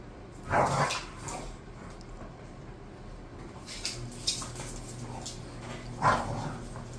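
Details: Two pet bulldogs, Khan and Ali, said to be bored, give two short, sharp barks, one near the start and one near the end, with quiet room noise and a low hum between them.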